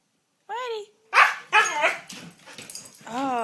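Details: Koda, a pet dog, fussing indoors while being coaxed to 'say' words: drawn-out, rising-then-falling yowling whines at the start and end, with a person's speech in between.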